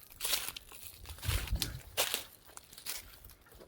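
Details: Crunching and crinkling noises, like ice or debris being broken up, with no animal sound. Bursts of broadband crackle alternate with low thumps.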